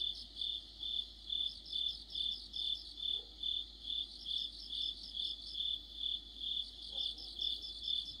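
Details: Crickets and other insects in an autumn chorus: high, bright chirps pulsing steadily about twice each second, several callers overlapping into a dense shimmering layer over a faint low background hum.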